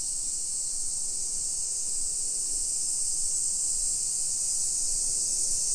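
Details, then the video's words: Cicada chorus on a July 2021 summer afternoon (1 PM) along suburban streets in Nisshin near Nagoya, Japan; a continuous hissing high-pitched buzz that stays level and constant, over soft low-frequency ambient noise. "Summer Cicadas Sounds"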